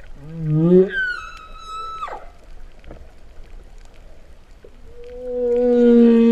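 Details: Humpback whale singing underwater at Vava'u, Kingdom of Tonga, September 2015, among a group with a calf. The song is likened to cattle mooing. A rising low moan leaps to a long steady high whistle, then a deep level hum swells near the end.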